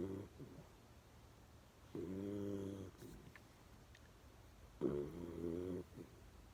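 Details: Sleeping dog Berry, eyes half open, gives two loud buzzy snores with layered harmonic tones, each near a second long and spaced about three seconds apart, indoors with little else heard.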